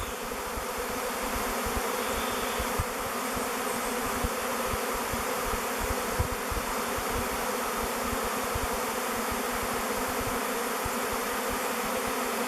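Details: Honey bees massed in a swirling swarm settle on a log hive, Bee Beard, choosing it as their new home. A sustained, even buzzing drone runs throughout, steady in pitch and loudness.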